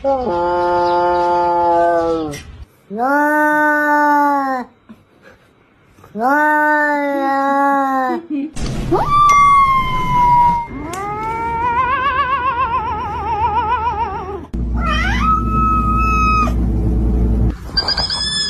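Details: Cat making weird, funny sounds: long drawn-out wailing yowls about two seconds each, separated by short pauses, then warbling cries with a wavering pitch and a sharp rising squeal, with a low rumble underneath in the later part.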